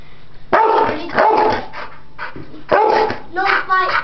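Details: Playful pit bulls, ten-year-old Chomper with ten-week-old puppy Stella, not fighting. Sharp barks arrive in separated bursts with short quiet gaps, ending in a higher, tighter yappy bark.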